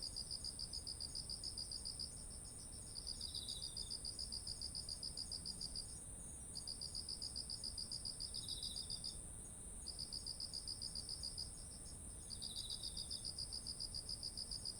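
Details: Autumn insects calling beside ripe, heavy-headed rice fields: dense, high, pulsing trills in bursts of about two seconds with short pauses, over a steady continuous high whine from other insects; no other sounds stand out.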